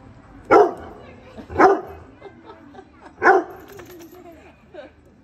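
A Weimaraner gives three loud, deep barks, spaced irregularly about a second apart.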